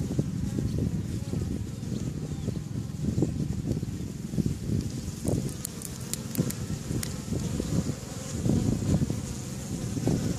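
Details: Busy traffic of bees outside their hives, recorded May 1st 2013, gives a dense low drone that pulses as individual insects pass close, with a few faint high clicks midway.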